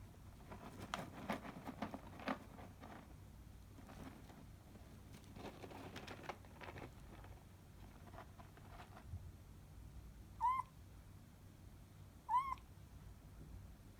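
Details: An orange tabby kitten named Tsukune, in toilet training, meows while defecating in a litter box. Scratching and rustling of litter fill the first nine seconds. Then come two short, high, rising-then-falling mews about two seconds apart.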